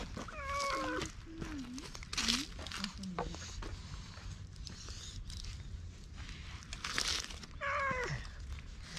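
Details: Stray cat slowly approaching a person, later climbing onto a lap when petted, filmed at night with a GoPro: several bending meows, some rising then falling, another pair near the end, with rustling and handling noise between.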